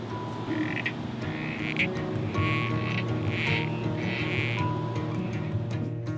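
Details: Critically Endangered Southern Corroboree Frog males calling from nesting burrows in breeding tanks at Healesville Sanctuary during breeding season, drawing females to them; short squelchy bursts repeat about once a second over soft background music.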